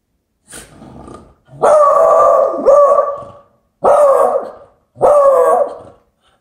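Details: Shiloh, a beagle, stands on the sofa guarding the door, indoors, and gives a soft opening sound followed by four loud, drawn-out, baying barks spaced about a second apart.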